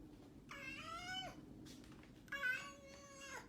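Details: A cat making a strange call: two drawn-out, tonal meows, each under a second long and slightly falling at the end, in a quiet indoor setting.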